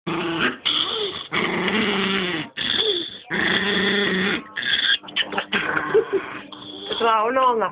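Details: Female Chihuahua growling while guarding her bone as someone tries to take it away; rough, drawn-out growls in bursts, with a person talking over and between them.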